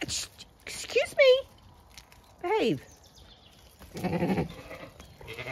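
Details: Pregnant Zwartbles ewes close to lambing on a farm in County Kilkenny, Ireland, restless at breakfast feeding on a frosty dawn; several wavering bleats, one long quavering cry, between a woman speaking to the sheep.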